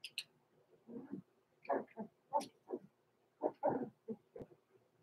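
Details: Blenheim Cavalier King Charles Spaniel puppies Roman and Blue, six weeks old, pass the night in an indoor puppy pen with a quick, uneven string of soft squeaky whines and yelps, a faint steady hum underneath.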